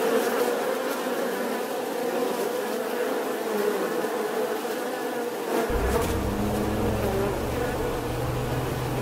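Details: Bee buzzing as a constant hum, joined after about five and a half seconds by a deeper low rumble beneath the drone, with a few faint clicks.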